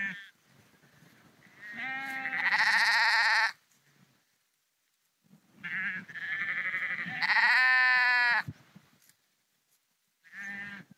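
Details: Sheep on the move along the Porrenkoogdeich near Husum, Nordfriesland; quavering bleats that start low and jump to a higher, louder pitch midway, two long ones followed by a short final bleat.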